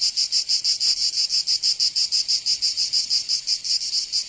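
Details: Cicadas heard in summer in Provence, France, producing a piercing pulsed buzz, each throb distinct and evenly spaced about three per second, nothing else audible.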